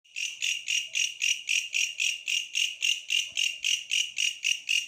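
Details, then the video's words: Bush cricket calling, a loud high-pitched buzzy chirp pulsed steadily about four times per second, clean and unbroken with no other sounds. "suara asli bellalang pohon"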